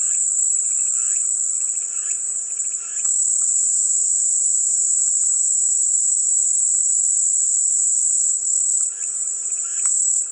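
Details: Cicadas buzzing in a steady, unbroken high-pitched drone, with softer rattling chirps lower down during the first three seconds and again near the end, and a faint constant low hum underneath.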